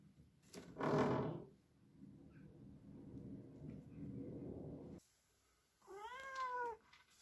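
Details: Ragdoll cat, a male, meowing in loud protest: one arched, harmonic meow rising then falling near the end, preceded by a loud rustling thump and a stretch of low shuffling noise.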